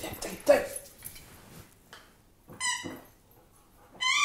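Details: German Shepherd dog giving short high-pitched whines, one brief cry and then a sustained rising whimper near the end, with faint human voice and quiet gaps between.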